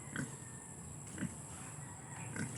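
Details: Pig, offered for sale, giving three short low grunts spaced about one second apart, over steady background hum and a Filipino speaker's voice nearby.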